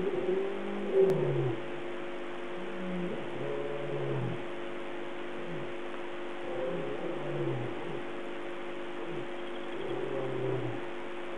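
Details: Lions calling at night at Gowrie Pan, 03:15, 8 August 2008, loud somewhere in the area: series of deep, falling roaring grunts over a steady mechanical hum; lion (Panthera leo).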